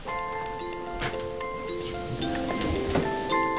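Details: Chiming, glockenspiel-like music with ticking, clock-like percussion over soft room noise, no animal voice.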